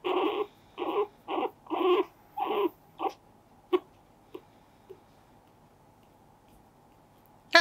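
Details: Pet guinea pig, a male that bites with his front teeth when a finger is put in front of him, gives a run of six or seven short squeaky calls in quick succession, then scattered faint clicks and a sharp sound at the end.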